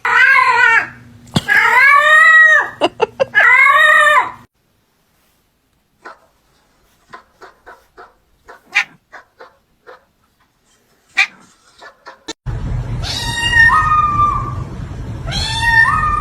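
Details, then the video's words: Domestic cat making strange sounds, called the meanest kitty: loud arching wails repeated in a quick series, then quiet soft clicks and taps, then long moaning yowls that step up in pitch over a low hum. "The cat is making strange sounds"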